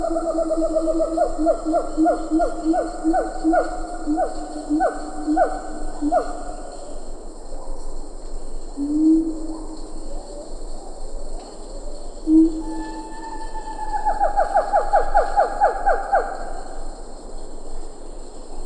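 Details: Siamang gibbon calling at medium-close range in Ketambe Forest, with a few lar gibbons in the background: low resonant booms beneath a fast, accelerating series of harmonic barking notes, then a second rising burst of rapid notes later.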